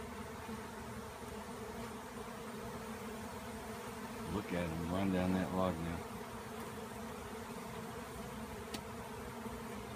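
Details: A swirling honeybee swarm after a tree cutout, with bees hitting a roof in their frenzy. A constant low buzzing hum runs throughout. A man speaks briefly in the middle.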